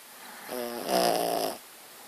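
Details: Muffin, a pet dog, snoring while asleep indoors: one rough, buzzy, harmonic snore lasting about a second, rising in loudness toward its end, with a quiet room around it.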